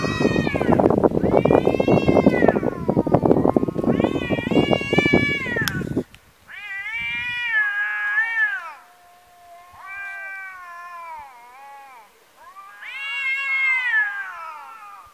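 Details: Domestic tomcats in a fight, one a neighbour's cat running into a rival: loud scuffling with harsh screams for six seconds, then a quiet pause and a series of long, wavering, rising-and-falling caterwauls.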